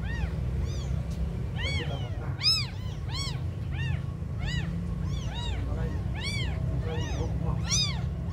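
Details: Tiny abandoned kittens crying: short high-pitched arched mews, some louder and some fainter, coming in irregular bursts from more than one kitten, with a constant low rumble underneath.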